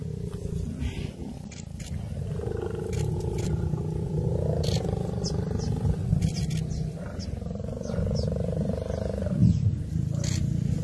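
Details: Lions of a pride locked in a fight with a buffalo herd: steady deep growling throughout, overlaid by long wavering moan-like calls around two to four and eight to ten seconds.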